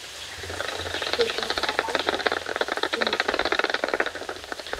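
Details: Echolocation of bats leaving Mammoth Cave in total darkness, converted by a two-microphone bat detector into steady crackling pulse trains that quicken into a dense buzz of clicks near the end.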